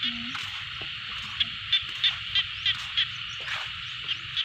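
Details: Frogs in a rice field: short, sharp calls repeat about three times a second over a steady high, buzzy chorus, with a brief bit of human voice at the start.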